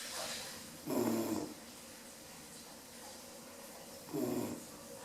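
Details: A sleeping female Rottweiler puppy, Bambi, 10 weeks old, snores: two deep, rattling, half-second snores about three seconds apart, with soft breathing between them and no other sounds.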